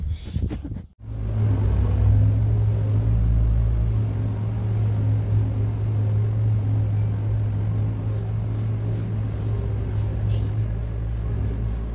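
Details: Steady low engine-like rumble fills the recording, with no animal sound heard.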